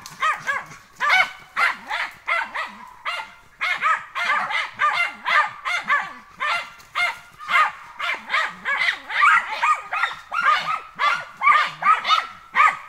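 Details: German hunting terrier working wild boar during training, barking rapidly and without pause at roughly two barks a second, each bark bright and ringing, steady and insistent throughout.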